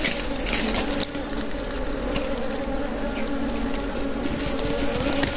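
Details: Steady droning hum of wild honey bees at a wild honey harvest, an even low buzz that holds without a break, over rustling and crackling background noise.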